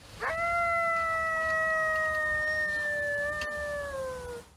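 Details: A single actual coyote's howl, used as a reference: a quick upward slide into a pure, sustained note rich in overtones, holding nearly level for about four seconds, then dipping gently as it fades.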